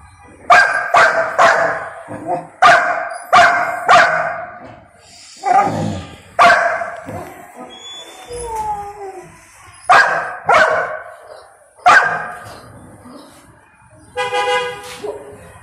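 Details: Little Golden Retriever protesting while waiting for permission to eat, giving clusters of two or three sharp barks separated by short whines and pauses in a quiet indoor setting.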